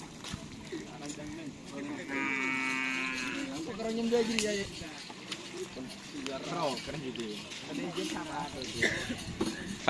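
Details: Cattle at a karapan sapi bull race in Pamekasan, ahead of the district-level selection: a long, steady, low moo rich in overtones, then shorter wavering lowing, with voices and crowd bustle throughout.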